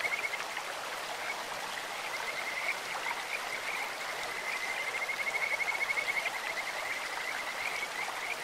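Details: Kajika frogs calling in a clear stream: a steady, high, bird-like trill runs through the clip, rising into a long, rapid, pulsing run of whistled notes near the middle and end, over the constant rush of flowing water.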